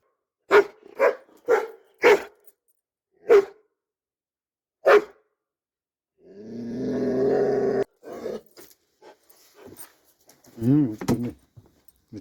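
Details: Dobermann barking in a run of five or six loud single woofs about half a second apart, then a long throaty growl, followed by softer barks and a wavering whine near the end.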